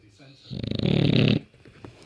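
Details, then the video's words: A sleeping rescue British bulldog giving one loud, rattling snore of just under a second inside a room. "Bulldog snoring."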